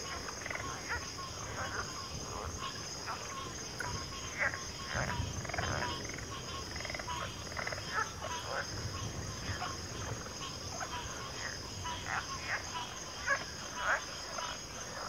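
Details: Dense chorus of frogs, croaks repeated roughly every half second in uneven clusters, some deeper pulses underneath, all over a continuous high-pitched insect hum.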